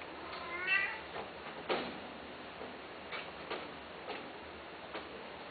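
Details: Pet cat for sale with one short, bright, wavering meow near the start, then a string of sharp broadband clicks or taps at irregular intervals over faint background hiss.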